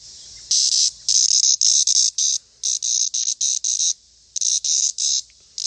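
A cicada buzzes in harsh, high-pitched bursts, each lasting about half a second with short gaps.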